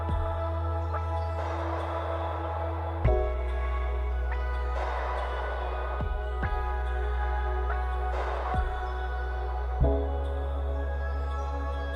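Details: Slow ambient music with deep sustained drones and soft chime-like strikes, with no animal sounds.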